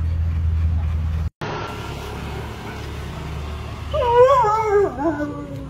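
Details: Alaskan Malamute named Yibo, a giant malamute, lets out a short wavering whine-howl near the end, a bending, richly harmonic tone lasting about a second, after a steady low hum and a brief cut in the sound.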